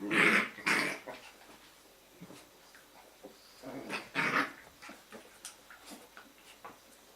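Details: Jack Russell Terrier pups in a kennel litter at evening play: two loud squealing yelps open, another pair follows after four seconds, with faint growls and small yips scattered between in a quiet indoor room.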